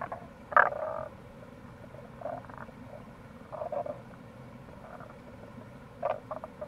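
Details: In April near a gorge on the Kamo River in Itoshima, Fukuoka, Japan, a Tago's brown frog gives one loud, grating croak. Softer, drawn-out murmuring calls follow, and a flowing stream hums in the background.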